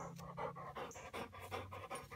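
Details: Huck, a three-year-old Weimaraner in obedience training in Pittsburgh, pants in rhythmic breathy bursts, about four per second, while a trainer praises him with "good boy" and calls him to come.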